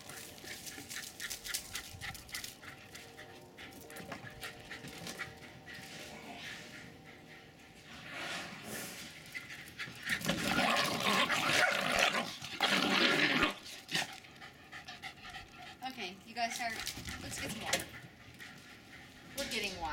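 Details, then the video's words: Jasper and Jaclyn, a pair of Jack Russell Terriers about four and a half years old, play fighting in Lenexa, Kansas, 16 January 2012; rapid breathy panting and scuffles repeat steadily, building to a loud rough tussle near the middle. "Jasper and Jaclyn the JRT's running and play fighting with astounding energy and intensity"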